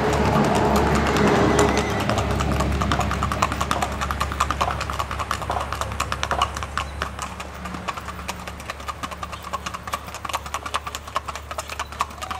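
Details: Colombian Paso Fino horse gaiting, with quick, even hoof taps at about two and a half per second. A louder rumble at the start fades, and a low mechanical drone continues underneath.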